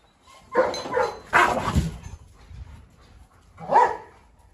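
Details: Three dogs in a yard: a brindle Canary Mastiff female called 虎妞 going after a Rottweiler for revenge, a Staffordshire joining the mischief; gruff barks in two quick bursts, a pause, then a single bark, with Mandarin talk nearby.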